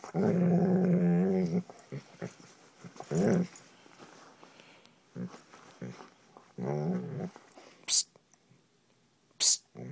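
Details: Old English Sheepdog growling while playing with a blanket indoors; a long low growl opens, followed by shorter growling bursts, sharp hissing psst sounds from a person, and soft handling noises.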